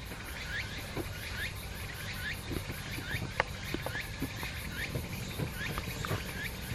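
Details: In Yamaguchi Prefecture, Japan, on 31 August 2022, a chichi cicada repeats a thin, very high 'chi-chi-chi' in a fast, steady pulse.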